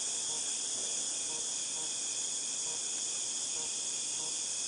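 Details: Cicadas in August 2018 fill the air with a loud, unbroken high-pitched buzz, steady throughout, with faint regular ticking pulses underneath.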